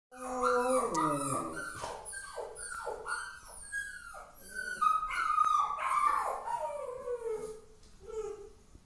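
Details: A pet Rottweiler howls, upset about the puppy. Tonal, harmonic howls and whines, many sliding downward, repeat roughly once a second for about nine seconds and rise and fall in strength.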